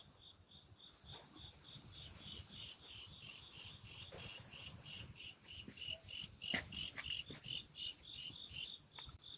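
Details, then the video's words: Natural insects calling at midnight: a dense, steady high chirring with rapid pulsed trills repeating throughout, under a faint low rumble and a few soft clicks. "the sounds of natural insects at midnight"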